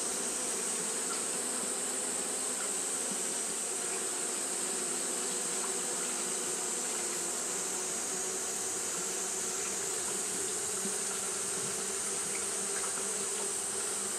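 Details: Japanese honey bees fanning through a hot day, a long unbroken colony hum: deep droning tones topped by a bright high hiss, with faint scattered ticks in the texture.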